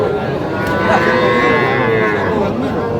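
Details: Cattle at a busy livestock market in Jamalpur, Bangladesh, where farmers buy small young bulls and heifer calves, 19 August 2025; a sustained, drawn-out moo runs through the whole stretch over a dense background of crowd noise.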